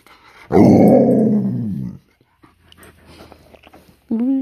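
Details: Tonka, a pet Alaskan Malamute indoors, answering his owner with a loud drawn-out woo-woo vocalization of about one and a half seconds, harmonic and slightly falling, then a brief voice rise at the end; a woman's questions surround it.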